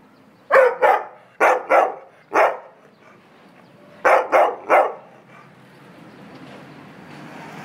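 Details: Dog complaining, January 2015: quick loud barks in pairs and singles over the first three seconds, then a rapid run of three after four seconds. A steady low rumble of background noise swells toward the end.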